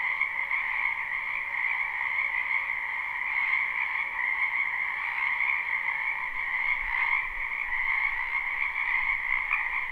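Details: Live spring recording of many frogs in a backyard wetland: a thick, steady chorus of high trilling croaks, with occasional louder individual pulses rising above the mass and a faint low hum beneath.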